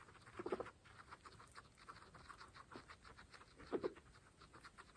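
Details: Grass-chewing pregnant guinea pigs, all females: fast crunching ticks with two short, low, buzzy squeaks roughly three seconds apart.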